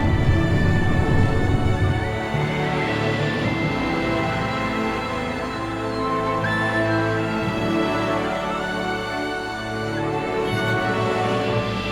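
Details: Only sustained, dark orchestral music is heard, with no animal calls. Deep chords and layered tones fill the whole passage.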